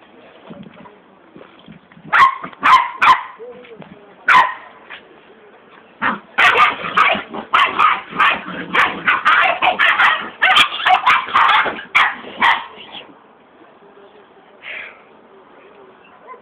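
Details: Two puppies on their first day at home, play-fighting in an unexpectedly rough way for their age; bursts of harsh growling and yipping come in dense clusters, loudest in a long run through the middle, with quieter pauses between.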